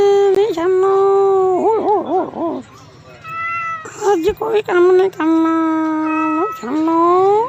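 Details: Series of long, tonal cat meows and yowls. One wobbles up and down in a warbling pattern, and others hold steady before bending upward at the end, with a few sharp clicks between calls.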